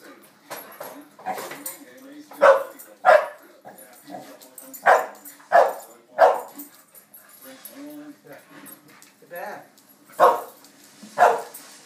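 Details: Several dogs barking excitedly at feeding time: loud, sharp barks in irregular bursts, about a dozen over the stretch, with softer yips and whines between them.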